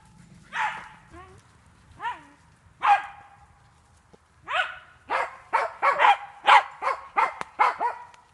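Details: Jagdterrier working wild boar in a training enclosure; scattered yelping barks at first, then a fast run of sharp barks after a pause, a person speaking briefly.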